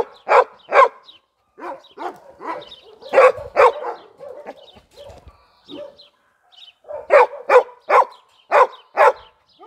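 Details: Jagdterrier Gröschel von der Lönsmeute, a Heideterrier from tested hunting stock bred for boar hunting, barks in bursts: quick pairs and runs of yappy barks, a quieter middle stretch, then a fast series again.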